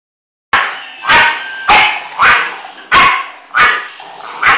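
A Bull Terrier gives sharp, yappy barks in quick succession, roughly every half second or so.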